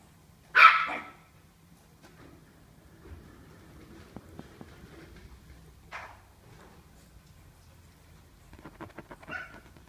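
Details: Chihuahua giving one sharp, loud bark at the start, then a quieter yip around six seconds and a faint short yelp near the end, with low background hum in between.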